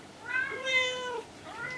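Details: Domestic cat answering when spoken to indoors: a drawn-out, slightly wavering meow lasting about a second, followed by a shorter rising meow, in a quiet room.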